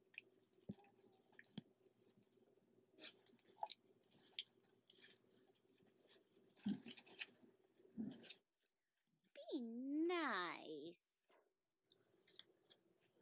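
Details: A 3-week-old Golden Retriever puppy, one of a litter just learning to play, gives a single wavering, rising-and-falling whine after soft rustling and chewing noises.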